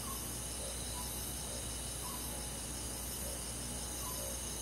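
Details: Summer-night insect chorus of crickets in a rural forest, an even high-pitched shimmering drone, with scattered soft brief notes in a lower register popping up every half second to second.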